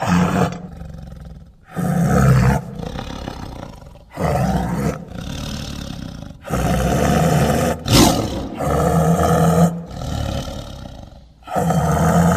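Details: Tiger making repeated deep, gravelly roars in bursts roughly every two seconds, each a throaty rumble with strong low tones and brief silent gaps between.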